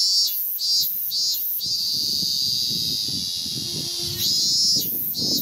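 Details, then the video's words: Male ming-ming cicada (Hyalessa maculaticollis) on a cherry tree trunk in Japan, early August 2018, singing loudly to attract a female. A sustained high buzzing drone pulses on and off in short bursts while a neighbour practises piano beneath it. "Ming-ming Cicada Sings to the Accompaniment of Piano ミンミンゼミ♂がピアノと共演♪"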